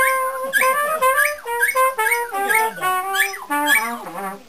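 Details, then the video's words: Graham, a Border Terrier who loves to sing, howls in a loud series of drawn-out, wavering tones, each rising then sliding down, about seven howls in a row with harmonic, almost musical quality. "Border Terrier Graham loves to sing"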